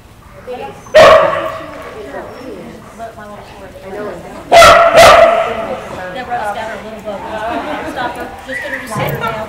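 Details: Australian Kelpie female, named Hyvänenaika Herranterttu, tested on herding goats during a trip to the United States; two loud sharp barks roughly four seconds apart, with people talking in the background.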